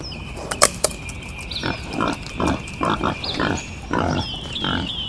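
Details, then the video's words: Wild boar giving a steady series of short, coarse grunts, about seven in five seconds, each a brief noisy burst, with sharp clicks near the start and birds whistling continuously in the background. "Wild Boar Sounds"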